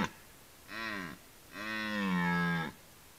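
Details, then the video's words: Red deer roaring during the rut: a short, deep, harmonic bellow, a brief pause, then a longer drawn-out roar with a steady tone that ends abruptly. Quiet background. "Rykowisko / Deer rut"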